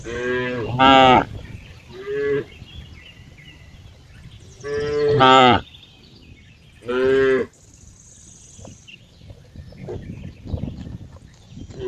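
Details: Cow giving loud, rich harmonic moos, four main calls in quick succession over the first eight seconds, then fainter rustling and soft background noise.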